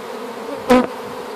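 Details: Freshly hived honey bee swarm, gathered from an apple tree, humming steadily while a single loud, short knock or thud cuts through the middle of the drone.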